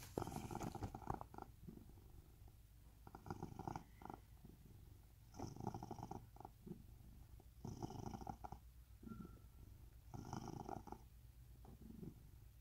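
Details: Rescued domestic cat in a permanent home in Cooktown, Queensland, Australia, purring steadily: a low, rumbling, pulsed purr that swells in breathy bursts roughly every two to two and a half seconds, with quieter stretches between, close up indoors.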